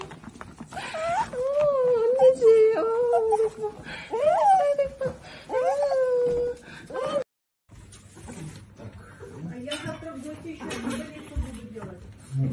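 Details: Cavalier King Charles Spaniel, from a collection of funny pet clips, making a series of long, tonal, singing whines with slight pitch bends over about seven seconds, then quieter murmuring, with Korean speech throughout.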